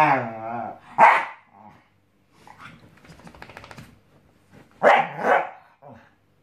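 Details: Pet Scottish Terrier trying out a new mattress: a tonal whining growl opens, then a sharp bark, low rustling and scuffing, and a quick double bark near the end followed by a short grunt.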